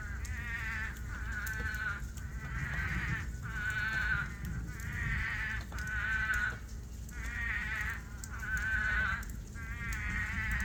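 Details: At night during a monsoon rainstorm, toads that have dug out to swim in rain pools call in a chorus of nasal, bleating cries, each about a second long, over steady rain; it began as one lone voice.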